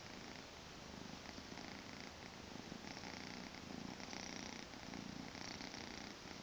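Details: Tommy, a two-month-old Maine Coon kitten, purring indoors on a weekend morning: a soft, steady, rumbling buzz that swells and eases in slow breathing cycles through the whole stretch, with no other sounds.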